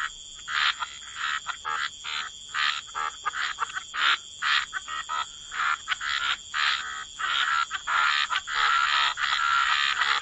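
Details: Chorus of frogs by the waterside in wetlands, short rasping croaks from several callers overlapping at an uneven pace, about ninety a minute, over a steady high insect-like hum.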